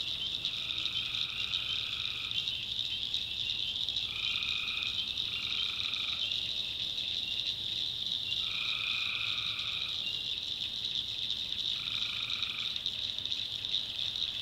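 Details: North Carolina swamp at night, tree frogs calling: five short trills, each about a second long, stand out clearly above a constant shrill background chorus of frogs and insects. The trills repeat irregularly across the recording.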